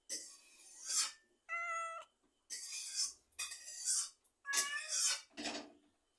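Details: Cat giving a quick run of meows, one clean tonal meow standing out among harsher, raspy, broadband calls that follow each other closely over about six seconds, with faint low thumps near the end.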